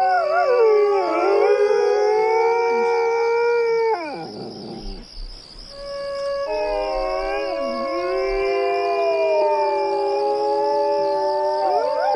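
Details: Coyote chorus of layered, sustained howls with bending, quavering pitches, briefly fading around the middle before the voices swell again, over a steady high pulsing buzz.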